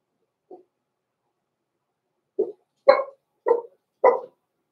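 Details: Blenheim Cavalier King Charles Spaniel puppies, Roman and Blue, born November 14, 2022, in an indoor puppy pen at Christmas time; a soft yelp, then four short, rising puppy barks about half a second apart in a quiet room.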